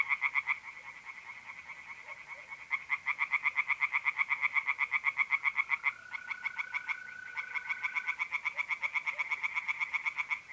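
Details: Tree frogs singing from a pond on a mid-April night in north-eastern Italy: loud, rapid pulsed croaks repeated about four times a second. They run in overlapping bursts, with a steady, even trill of mole crickets running beneath.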